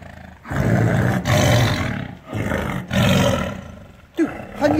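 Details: Repeated deep tiger roars, three long rumbling bursts in quick succession, followed at the end by a brief human voice.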